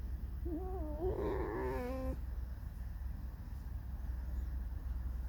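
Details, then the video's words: A house fox named Alice voices her discontent in a drawn-out, mournful, squeaky song. It is a wavering, strongly harmonic whine lasting nearly two seconds, rising and trembling before it cuts off, with low room hum beneath. "Алиса - лиса. Скрипит, поет заунывную песню."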